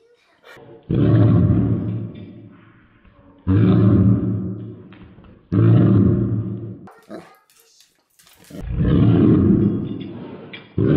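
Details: A 135-pound Saint Bernard barking: four deep, heavy, booming barks with rich low tones, spaced about two to three seconds apart, each lasting around a second, with quiet gaps and faint noises between.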